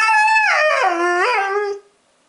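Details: Young Siberian husky, one year and three months old, howling in protest at the word husky: a strong, harmonic howl about 1.8 seconds long that wavers, dips lower in the middle, then lifts briefly before ending.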